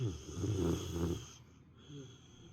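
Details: Female pet dog napping indoors gives one rough, low rattling snore lasting about a second, followed by quieter breathing and a faint short snort; steady faint hum in the background.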